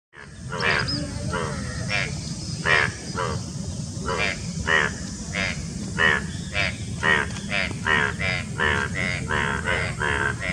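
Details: Male Indian bullfrogs (Hoplobatrachus tigerinus) with two external subgular vocal sacs give loud, harsh croaks in quick succession during courtship and mating near Dombivali, Thane, Maharashtra, India, on 9 June 2018.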